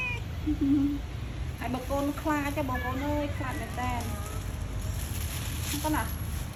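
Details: Stray pagoda cats being fed: a short series of wavering meows in the middle, with constant low background rumble and a person's voice.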